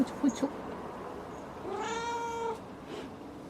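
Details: A pet cat lets out one clear, sustained meow lasting nearly a second, fairly level in pitch with rich overtones. It follows a few short knocks and sits over a constant low room hum.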